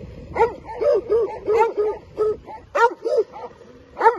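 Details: Albanian Molossus dogs guarding territory, barking in uneven bursts of sharp, ringing barks, several close together, then pauses, about one bark per second.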